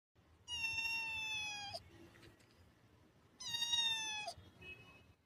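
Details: A domestic cat gives two long, steady, high-pitched meows, each lasting over a second and separated by about two seconds of quiet room sound.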